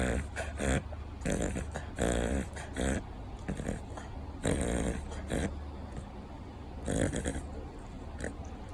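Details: Thirteen-year-old Cavalier King Charles Spaniel in a reverse-sneezing fit, frequent since puppyhood and of unknown, harmless cause: rapid snorting, honking inhalations in bursts about every second, over the steady hum of an electric fan.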